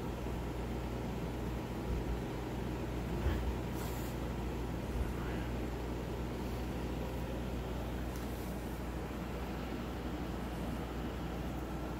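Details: Steady loud vehicle-like rumble and engine noise throughout, with no animal sounds heard.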